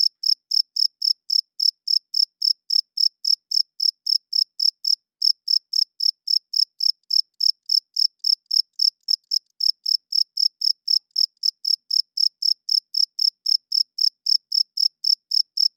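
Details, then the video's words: Cricket chirping loudly at night: a high, pure pulse repeated nearly four times a second in a steady, unbroken train, with a brief hitch near the midpoint. No other sounds are heard. "Cricket Chirping Sounds - Cricket klinkt 's nachts luid"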